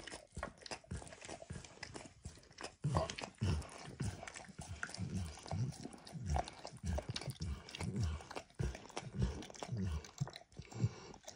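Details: Quieter close-up of Max the dog licking food from a bumpy orange mat: soft, low wet laps at a brisk, somewhat irregular pace, with light clicking mouth sounds and no talking.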